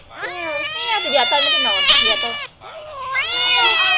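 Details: Cat crying with a drawn-out, wavering meow of over two seconds, breaking into a rough, strained middle, then a second rising wail after a short gap, over a quiet low background hum.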